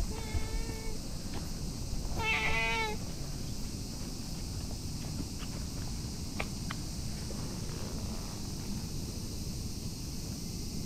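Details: A tabby cat lying on a bench while a person pets it, giving two short, clear meows in the first three seconds, the second slightly wavering, followed by quiet outdoor background with faint clicks.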